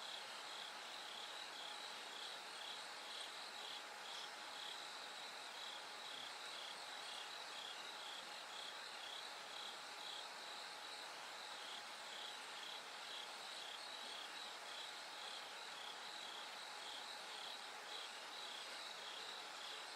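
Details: Bell cricket at night, toward the gradual brightening of dawn: a high, bell-like pulsed ring of roughly two pulses per second, steady throughout, over a thick continuous insect hum.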